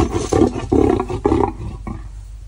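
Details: A lion being vaccinated at a zoo in Normandy lets out a series of about four deep, throaty roaring grunts that fade toward the end.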